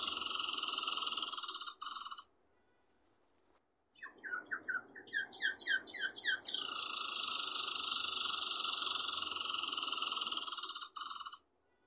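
A squirrel gives a long, high, buzzy whine, broken midway by a quick run of pulsed chirps.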